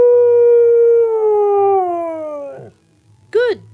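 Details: Siberian Husky vocalizing for its owner: a long, sustained howl sinking gradually in pitch over two and a half seconds, a short pause, then a quick rising-and-falling yelp.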